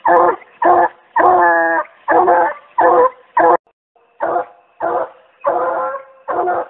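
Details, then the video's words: Young Treeing Walker Coonhound treeing with an angry tree mouth while getting in shape for fall: choppy harmonic barks, roughly two per second, some drawn out into short bawls, with one brief pause midway. "Shows Off Angry Tree Mouth--Treeing Walker Coonhound"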